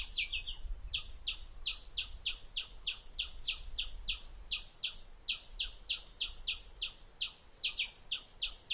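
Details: An Indian palm squirrel gives shrill, bird-like chirps, fast and repeated in short bursts, while eating.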